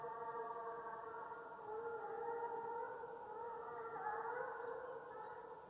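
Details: Russian hound Bas, Ivanovo Oblast, in full cry on the gon (hunting chase): an unbroken, wavering, howl-like tonal bay that rises and falls steadily throughout, rich in overtones.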